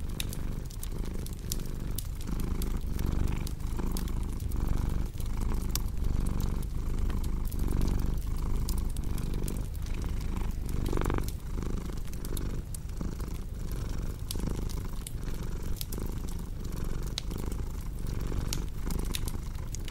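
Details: Low rumbling cat purr running throughout, its breath-driven surges audible beneath frequent snapping and crackling fireplace sounds.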